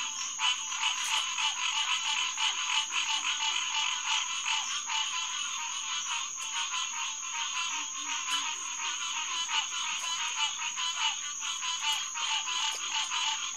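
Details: Massed calls of green tree frogs (Hyla cinerea) at the SMNWR Headquarters Pond on the night of June 2, 2021, around 9:10 pm, an unbroken, busy chorus of quick repeated notes beneath a steady high-pitched tone.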